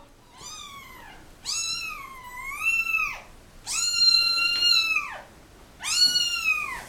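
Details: Stray mother cat with her kittens, dumped in a box at a turnpike, calling as she carries the crying babies back one by one; four long, loud, wavering meows, each about a second long.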